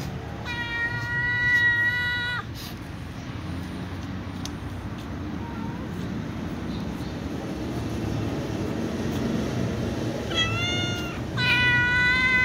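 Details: White cats meowing impatiently for food: two long, steady, harmonic-rich meows of about two seconds each, one at the start and one near the end, with a short one before it, over constant low traffic rumble.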